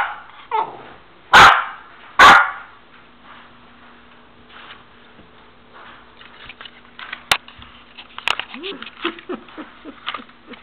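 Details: A Golden Retriever puppy behind a baby gate gives two sharp, loud barks, then a run of softer yips and whimpers.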